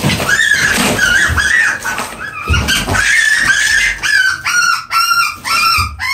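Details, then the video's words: Rabbit screaming while being live-fed to a Burmese python on 1 August 2021, fighting back after a beating: loud, harsh, continuous wailing cries, each wavering and bending downward, with thumping struggle noises. "live feeding rabbits (2/2) - short - scream WARNING"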